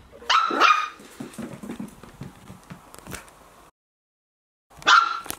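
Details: Tea, a Border Terrier puppy between 8 and 12 weeks old, kept at home, gives a pair of sharp, high yapping barks at the start, then goes quiet amid faint room noises before one more short yip near the end.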